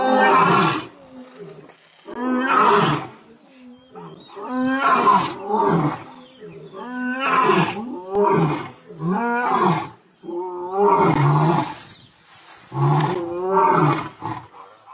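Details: Male lions, in a setting where fathers drive away their two-year-old sons, give a roaring series: deep, harmonic, moaning grunts rising and falling, about seven separate bursts repeated every two seconds or so, loud and dominant over a quiet background.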